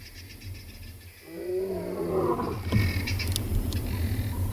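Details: Huge male lion at sunrise on safari, 5 August 2020, after scent marking, opening his roar: quiet low rumble, then a rising, drawn-out moaning tone building in strength, with rustling outdoor background.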